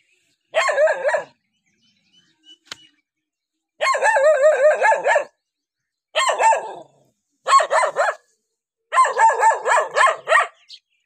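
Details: Dog barking at a stranger: five bursts of rapid, strained, harmonic-rich barks, each run lasting about half a second to a second and a half, separated by short silences, with a faint tick or two in between.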